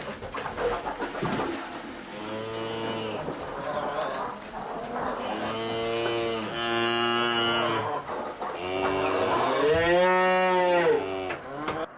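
Three long, low moos from cattle, each drawn out over a couple of seconds with a rich, nasal tone that swells and fades, over a soft background hiss.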